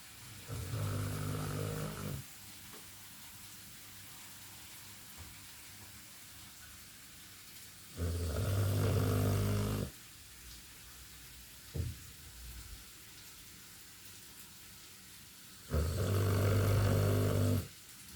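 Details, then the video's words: Loud snoring dog: three long, low, rattling snores roughly every seven to eight seconds, each lasting about two seconds, with quiet breathing in the gaps. "Моя собака жутко храпит"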